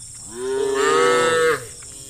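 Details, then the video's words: Tame cattle in a herd heading to green fields on a sunny day give a single drawn-out moo lasting about a second, steady then falling at the end, with faint insect hiss behind. "Funny Cow Sounds"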